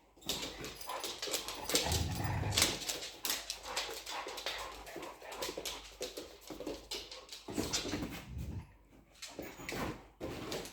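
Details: Pookie the dog playing with bigger dog friends indoors: a steady run of scuffling, snuffling noisy bursts with faint whimper-like sounds, rough and irregular throughout, with a louder low thump near the two-second mark.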